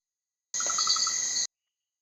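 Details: Male red-eyed tree frogs in Costa Rica's tropical lowland rainforest: one gives a rapid, high-frequency clicking stutter, a territorial challenge and warning to other males rather than a call to attract mates.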